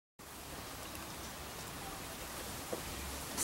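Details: A steady broadband hiss like rain on a surface fills the whole recording, with no animal voice audible.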